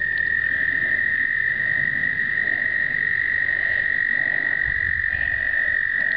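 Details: American toads during explosive breeding (2009) give a steady, high musical trill that holds one pitch without a break.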